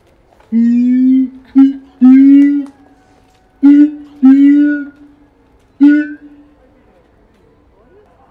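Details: Keiji, a zoo siamang at Higashiyama Zoo, Japan, calling energetically one January morning in 2023; about seven short and long low hooting notes, irregularly spaced across the stretch, each with bright overtones, no other sounds.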